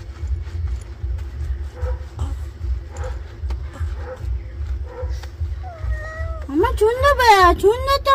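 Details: A pet cat being given a bath in the afternoon. Low human voices and a steady low rumble come first, then loud, drawn-out, wavering meows of rising and falling pitch fill the last two seconds.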